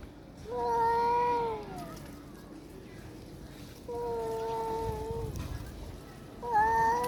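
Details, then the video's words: A cat cries out in threat as it chases off a frightened female cat. There are three sustained, nasal, harmonic wails, each level and then dipping at the end, separated by pauses of a few seconds. Low background hum. "যে বিড়াল হুংকার নিয়ে আসলো সে বিড়ালি ভয় পালালো"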